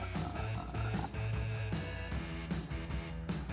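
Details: Plucked guitar music over a strong bass line with rhythmic strums and no animal sound.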